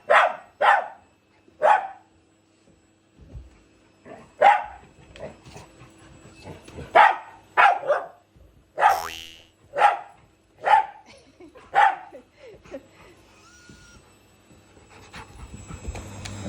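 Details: At home, a Shiba Inu and a Labrador battle the vacuum cleaner during cleaning. They give a fast series of loud, clipped barks, often in pairs, about a dozen in all, then quieter household noise.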